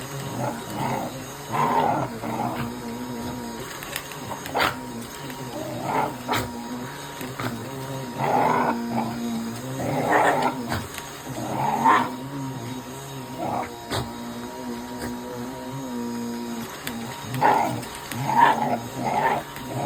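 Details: Shiba Inu dog fighting a vacuum cleaner, excited and seemingly angry or playful: repeated harsh growling barks and yaps in uneven bursts over the steady whine of the running vacuum.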